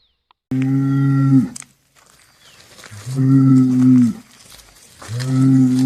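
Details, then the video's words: Three deep, steady moos from cattle, each a low droning bellow about one second long, separated by brief gaps, with faint rustling in the quiet spaces between calls. "BOI BERRANDO | SOM DE VACA | SOM DE BOI | TOURO BERRANDO | BOI MUGINDO | VACA MUGINDO - SOUND OF COW"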